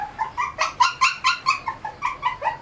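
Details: Shih Tzu puppies fed a raw diet of meat, bone and fat, crying in a series of high, whining yelps about every quarter second, some rising and falling, in a small indoor room.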